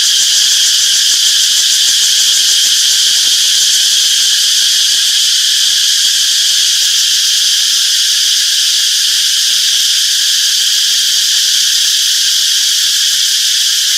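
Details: Peaceful summer forest alive with cicadas: a steady, piercing, high-pitched buzz that never pauses, layered in several shimmering bands with quick rhythmic pulsing.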